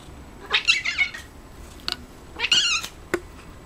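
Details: Coco the cat, a pet eating cat grass, gives two short, bright meows about two seconds apart, with a few sharp clicks between and after them.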